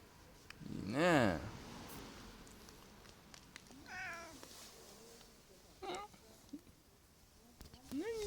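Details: Affectionate pet cat in Japan, called to come and played with, gives a loud rising-then-falling meow near the start, followed by shorter, fainter meows spaced a couple of seconds apart in a quiet indoor setting.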